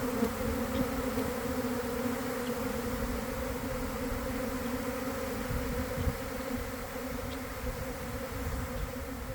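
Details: Honey bees swarming out of a garden hive around one o'clock, after a week of cold and damp, recorded amid the swarm. An unbroken, even drone holds steady throughout over a low rumble.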